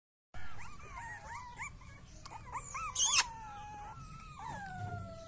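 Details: Rottweiler puppy whimpering in a series of short, rising-and-falling whines, each a thin, nasal squeal, then a longer, gently sliding whine near the end; a brief sharp clatter cuts in midway.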